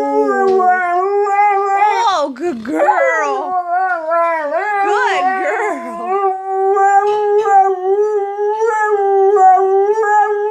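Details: Airedale Terrier howling in a long continuous tone, wavering and sliding in pitch through the middle, then settling into a steady, sustained note to the end; no other sounds stand out.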